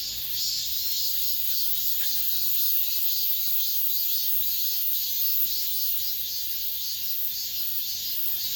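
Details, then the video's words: End-of-summer cicada chorus inside an apartment complex: a continuous shrill buzz that throbs gently and evenly, with nothing else clearly heard over the droning. "올 여름 마지막 매미소리"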